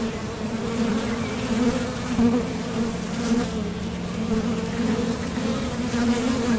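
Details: Honeybees buzzing at the entrance of a top bar hive while coming and going to forage for nectar, a steady droning hum with a strong low band and a fainter overtone, swelling slightly as bees pass close.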